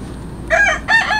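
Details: Hungry street cats being fed tuna fish: two short harmonic meows, each about a third of a second, rising then falling, with a brief pause between them over faint background hum.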